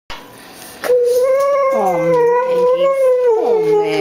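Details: Female Xoloitzcuintli, a Mexican hairless dog, howling indoors for her dinner because she wants chicken: a long sustained tonal howl with rich harmonics that wavers, dips and slides down near the end, a person's voice faintly around it.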